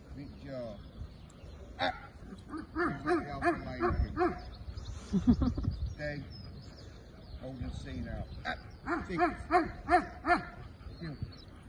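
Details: Belgian Malinois in executive protection training, barking in short irregular bursts, a run around three to four seconds and another near ten seconds, with human voices and handling noises between the barks.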